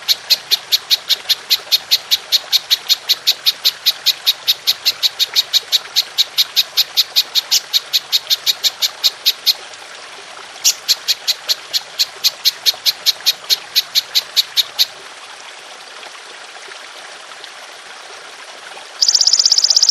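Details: Golden grasshopper calling in long bursts, a clear recording meant for training songbirds: fast, regular high buzzy pulses for nearly ten seconds, a short pause, another burst, then quiet hiss before a sudden loud high noise at the end.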